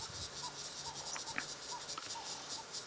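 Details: Crickets begin calling as evening approaches on a sunset safari drive at Djuma Game Reserve in late October, a steady high shrill trill running continuously, with faint soft chirps and low background rumble.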